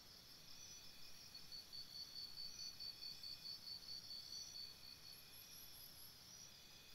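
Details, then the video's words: Night-time cricket chirping beside a campsite, a regular series of high, clipped pulses repeating a little over twice a second for about three seconds, set against a continuous shrill insect chorus and a brief higher chirp burst near the end. "Cricket Sounds"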